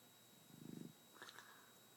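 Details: Sleeping nine-month-old Shar Pei gives one short, low, rumbling snore, followed by a faint wet mouth sound, indoors and otherwise quiet.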